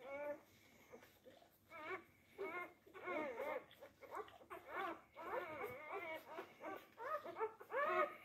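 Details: Four-day-old Labrador Retriever puppies fighting over teats, giving a chorus of arched, wavering whimpers and squeals in irregular bursts separated by short pauses, several pups overlapping, with faint indoor background.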